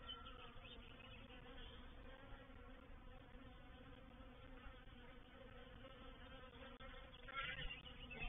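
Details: Reproductive swarm of honey bees moving into a bait hive at Painted Peacock Manor on 04/07/21; a soft, steady droning hum with layered low tones and a brief louder rise near the end.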